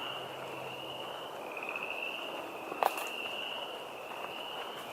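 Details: A steady, high-pitched frog chorus forms an unbroken trilling drone, with one sharp knock partway through, at a wetland along a trail at Moccasin Bend National Archeological District, Chattanooga, Tennessee.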